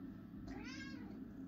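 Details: Male domestic cat asking for treats indoors, giving one clear harmonic meow that rises then falls, lasting under a second, against a low steady background hum.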